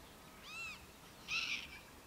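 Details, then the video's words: Morning calls from a large prairie dog town beside a campsite on the Upper Missouri River: two high, clipped barks, the first arched and clear, the second louder and harsher, with a quiet hiss of background. "Prairie Dog Good Morning"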